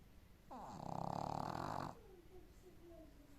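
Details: Sleeping Boston terrier giving one long, raspy snore of about a second and a half, opening with a short rising whistle, followed by faint soft whistling breaths in a quiet room.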